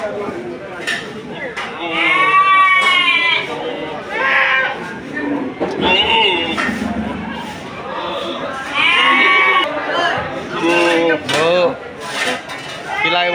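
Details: Several goats calling at Sagorika goat market, 2024: repeated nasal, quavering bleats from different animals, some short and rising, overlapping with loud human chatter and bargaining voices throughout.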